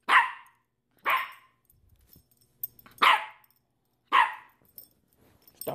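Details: Yorkshire Terrier barking indoors: four loud sharp barks about one second apart, each a brief burst centred in the mid range, with faint thumps and small noises between them.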